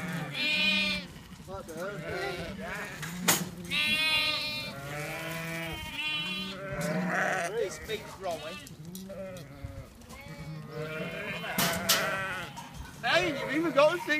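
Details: Sheep and lambs kept on a farm in May bleat again and again, many overlapping quavering calls of high and low pitch, mixed with people talking and clattering farm noise.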